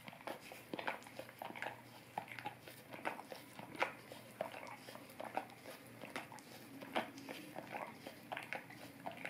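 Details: Golden retriever licking an Orapup tongue cleaning brush indoors, made for dog ASMR to freshen breath; wet, smacking clicks and slurps come in irregular quick bursts, a few each second, over a faint steady room hum.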